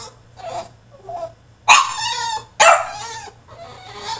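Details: Male French Bulldog throwing a tantrum in his cage: two loud, drawn-out harmonic bark-howls about a second apart, with faint whiny yelps before and after.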